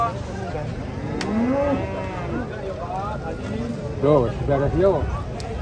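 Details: Huge Qurban sacrificial cow coming off a truck as market crowds watch: a rising, bending moo early, then two short wavering lows near the end, with voices and background music around.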